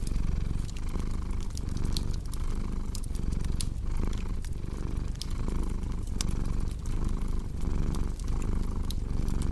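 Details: Domestic cat purring beside a crackling fireplace: a steady low rumble that swells and fades in breath-like cycles about every half second, overlaid with sharp, scattered crackling pops from the fire.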